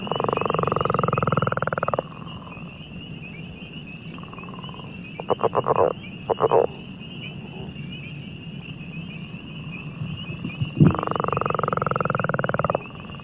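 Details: Northern leopard frog, played as a recording, giving a really throaty sound like balloons rubbing together: three bursts of low, rough, rapidly pulsed snoring with brief grunting clicks between, over a steady high-pitched chorus in the background.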